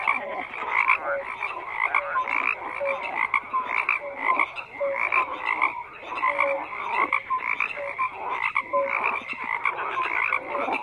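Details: Many frogs calling at once, a busy mesh of rasping croaks and brief pure notes repeated roughly every second, the chorus never pausing and holding an even loudness throughout.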